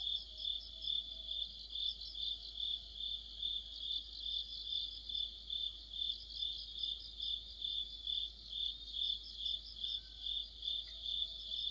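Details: Autumn insect chorus led by crickets, a bright high-pitched trilling that pulses evenly, roughly every 0.4 seconds, throughout, over a faint low background hum.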